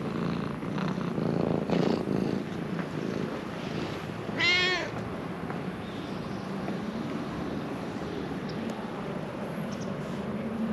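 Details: Affectionate stray ginger cat in Japan, roused from sleep, utters a single bright bowed meow midway through, preceded by soft shuffling sounds, with a steady low background drone throughout.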